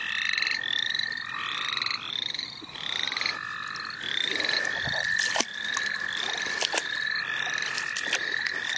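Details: Chorus of frogs at St. Olaf College Natural Lands, where frogs were being caught: many short upslurred peeps overlap with a continuous shrill trill, and handling thumps and clicks break in near the middle.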